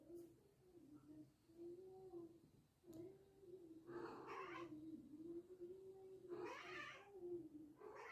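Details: A cat gives a long, drawn-out, wavering yowl that holds steady for several seconds, with two louder, rougher outbursts on top. The recording is faint and quiet.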